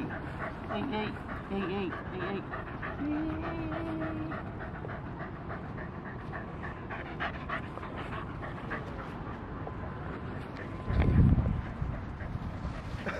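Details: Welsh Corgi named Goro playing with a ball, recorded 22 May 2013; steady breathy panting runs throughout, while a person talks in Japanese, with a loud thump near the end.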